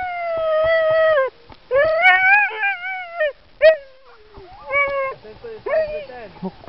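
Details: Excited dogs during a bikejoring training run in Sowinki in January 2015. They give loud, drawn-out whining howls, each held about a second at a steady pitch before breaking off, repeated in bursts. A man talks in between.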